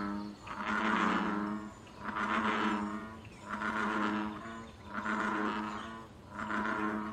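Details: Wild American bullfrog in a pond, calling for mating and territory: five deep, resonant booming croaks in steady succession, roughly one every second and a half, each rumbling and harmonic-rich, background quiet.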